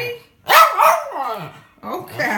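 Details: A hungry Jack Russell terrier making a long, wavering, yodel-like howling vocalization that slides down in pitch, followed by a shorter rising moan, indoors close up.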